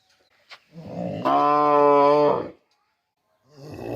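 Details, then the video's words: A cow gives one long, steady, deep moo lasting about a second, with a rich harmonic tone, followed by a pause and the start of another low call. "Cow Hamba Goru, Big Goru, Uploading Cow, Cow Videos, Cow Sound Effects Mooing Video"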